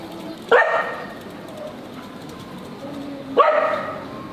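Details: Dog barking in the street: two loud, sharp barks about three seconds apart, each with a brief ringing tail, between them faint background noise.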